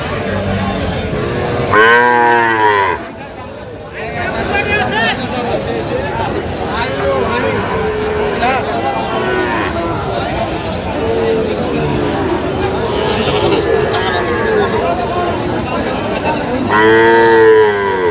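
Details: Sahiwal bull calves at a cattle market near Dhaka, Bangladesh, recorded 9 September 2025; a loud, harmonic moo near the start and another at the end, with steady crowd chatter and trader voices throughout.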